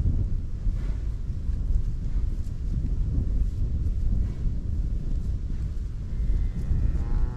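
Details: A cow grazing in a Dutch farmland meadow lows with a deep, drawn-out moo over steady, rumbling wind.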